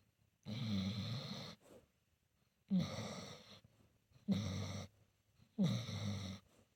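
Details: Solomon, a senior pit bull mix, snoring while asleep and perhaps dreaming; four rasping, low snores, each about a second long, separated by short quiet gaps in a small room.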